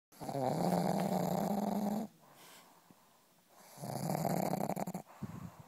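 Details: Gracie, a pug asleep indoors, snoring loudly: two long rasping, buzzy breaths about two seconds each, separated by a quiet pause, in a small room.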